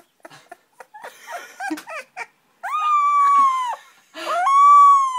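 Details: Puppy learning to howl indoors: scattered soft whimpers and squeaks, then two long sustained howls with slightly falling tone, each lasting about a second, rich with overtones.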